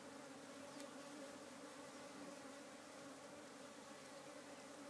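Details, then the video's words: Busy hive of African honey bees humming steadily, a thick unbroken drone with clear sustained tones under a broad hissy wash of many wings beating at once. "African Honey Bee Hive ~ Very Busy Bees"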